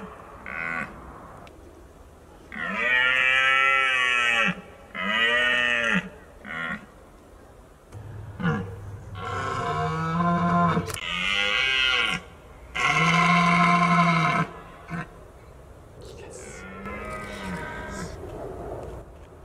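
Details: Red deer stag roaring, also called bolving, during the October rut in Britain, a mating-season behaviour: several long, deep, harmonic roars lasting one to two seconds each, separated by shorter grunting bursts.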